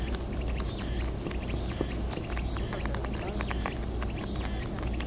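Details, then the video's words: Wild European rabbits on Okunoshima (Rabbit Island), Takehara, Hiroshima, eat timothy hay given to them, a steady run of quick, dry snapping crunches over a low rumble. "心地いい咀嚼音！チモシーを爆食いする野生のうさぎたちが可愛い"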